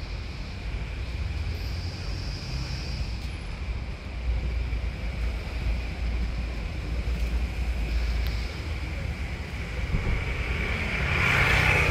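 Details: Steady outdoor rumble of wind buffeting the microphone, like passing traffic, growing slightly louder toward the end, with no animal sound heard.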